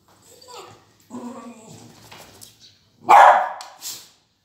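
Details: Beagle puppy giving drawn-out, whiny, whimpering vocal sounds for about two seconds, then one loud, sharp bark followed by a shorter, quieter bark.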